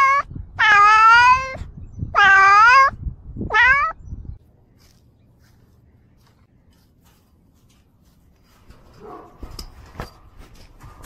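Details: A cat meows three times within about four seconds, two long strong drawn-out calls then a shorter rising one, followed by near silence with a few soft clicks and rustles toward the end.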